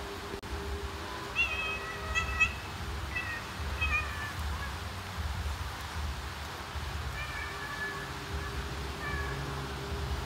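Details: Mother domestic cat calling her kittens to follow her: a series of short, thin, high chirping mews in small clusters, several close together early on and a few more near the end, over steady low rumbling background noise.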